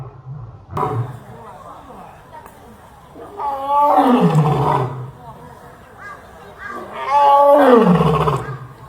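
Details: A lion (Panthera leo) gives two deep, drawn-out roars, each sliding down into a low rumble.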